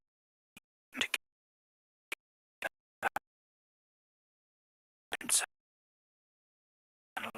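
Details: Near silence broken by a few short broadband knocks and rustling bursts, with no animal calls heard.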